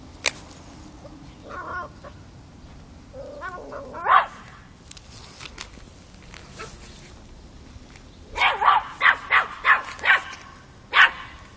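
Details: Five-month-old Miniature Pinscher puppy confronting a mature cat, Kiev, Ukraine, October 2013: a few faint scattered noises, then a rapid burst of about six sharp, high yapping barks, with one more bark near the end.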